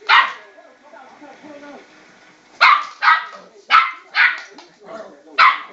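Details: West Highland White Terrier puppy, about 12 weeks old, barking at a spinning bowl: sharp, high yappy barks, one at the start, then a quick run of five with short gaps, with soft whining between.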